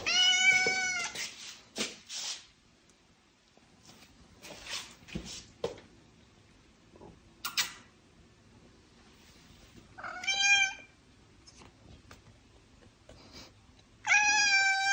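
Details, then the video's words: Pet cat giving loud, wavering meows, offered as sounds to attract other cats. A strong meow opens, then a long gap of soft clicks and bumps, then two more bright, rising-falling meows near the end. "Attract cat with HQ meows"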